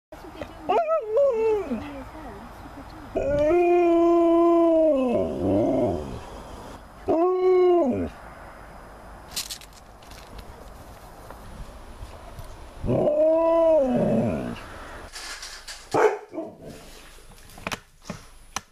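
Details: Alaskan Malamute howling at its owner indoors: several separate drawn-out howls, each rising then falling and lasting one to two seconds, with quiet gaps, clicks and brief handling noise between them.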